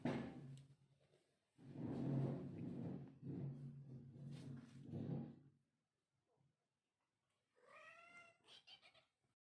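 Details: Kitten meowing indoors in a small room: low, rough, growly vocalizing for several seconds, a pause, then a clear, higher harmonic meow rising and falling near the end.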